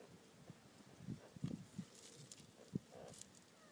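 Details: Meerkats at a wildlife park give low, soft grunts in short, irregular bursts during mating.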